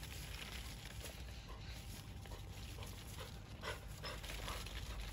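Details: Labrador Retriever out on a group walk, straining to reach persimmons left high on the tree, standing and jumping without success; soft breathy panting in quick uneven bursts, roughly two or three a second, over a steady low outdoor rumble.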